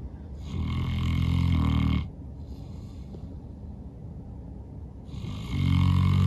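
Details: After a long day of outdoor play, Norman the St. Bernard snores super loud: a long, rough, rattling snore of nearly two seconds, a quiet breathing gap, then the next deep snore beginning.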